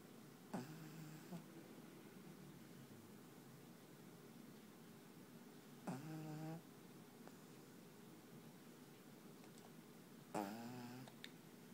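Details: Panpan, a black pug, asleep indoors and snoring: three brief, buzzy, wavering nasal rasps, each under a second long and spaced about five seconds apart, over a quiet room hum.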